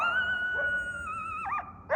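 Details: Barky, a male coyote, calling from close range. A long, clear, steady howl note wavers slightly, drops in pitch near the end, and breaks into a quick warbling twist. A short yelp ends the call.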